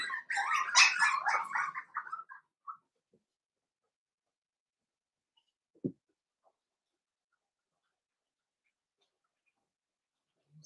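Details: Cavalier King Charles Spaniel puppies, Blenheim colouring, born to Paris and Spike, in a puppy pen at home. A busy, overlapping chorus of high whimpers and little yaps lasts about two seconds, then fades to quiet, with one soft knock later.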